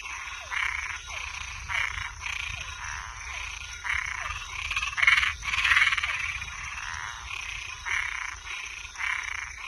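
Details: Night-time frogs and tree frogs croaking in overlapping bursts: rasping, mid-to-high calls at irregular intervals, a louder cluster near the middle, small descending chirps between, and a continuous shrill drone above.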